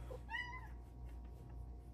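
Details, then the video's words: Female Silver Bengal cat on her petting shelf meows happily while chatting with her human: one short, clear, slightly rising then level meow lasting under half a second, over a steady low indoor hum, with a woman's voice nearby. "Kitty meows happily chatting with her hooman!"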